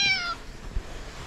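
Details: Stray calico cat with a black spot on the nose, living on the street in Morocco, gives one short meow of about a third of a second, bright and harmonic, sliding downward in pitch, then fades into quiet street background.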